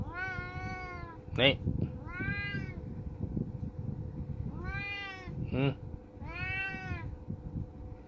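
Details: Oyen the cat meows four times in clear, tonal, slightly bending wails, roughly one every two seconds. Brief spoken interjections in Malay fall between them against a constant low mechanical hum.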